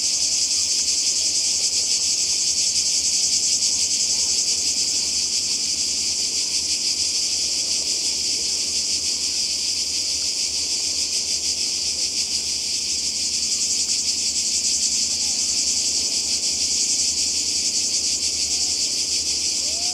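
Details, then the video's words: By the sea in Croatia, summer 2020: a cicada chorus sustains a constant high-pitched, fizzing buzz for twenty seconds, pulsing rapidly and evenly, with faint low rumbling beneath. "Kroatien Zikaden und Meer"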